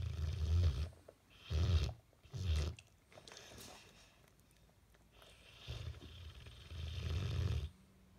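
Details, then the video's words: Sleeping Bullmastiff snoring while its face twitches; deep, rumbling low snores in long bursts, three quick ones then two longer drawn-out ones with quiet pauses between, recorded indoors. "Bullmastiff face twitching and snoring"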